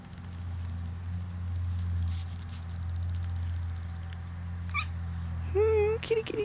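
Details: Female domestic cat giving a short rising-falling meow near the end, after a woman's soft talk and a steady low hum throughout.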